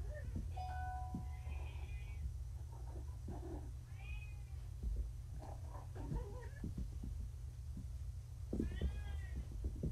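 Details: Freshly neutered kittens, four of them, still drunk-wobbly from pain meds at home; several clear, drawn-out meows with rising and falling pitch, a pair of them near the start and a louder one at the end, over a constant low hum.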